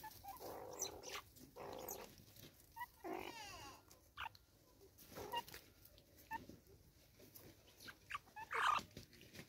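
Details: Banded mongooses in South African forest give short, scattered squeaks, chirps and soft grunts at close range.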